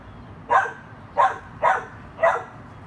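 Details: Four quick barks from a dachshund at play with a chihuahua, spaced roughly half a second apart, each a brief bright burst with a low murmur of background noise between them.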